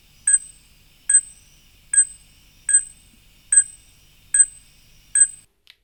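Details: A fruit bat, a mammal whose call is often mistaken for a bird's, gives a sharp, metallic ping repeated steadily about every 0.8 seconds, seven in a row, with quiet in between.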